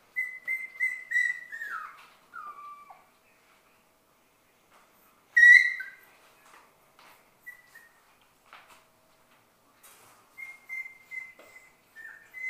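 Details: Shetland Sheepdog puppies, six weeks old, playing together in a play room, give thin, high whines that slide downward in pitch, with one sharper yelp mid-way and several brief whimpers toward the end.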